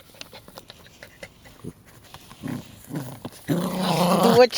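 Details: Jack Russell Terrier growling during tug-of-war play indoors: a few short low rumbling bursts, then a sustained rough, raspy growl for about a second near the end, with a person speaking Latvian and urging it to let go.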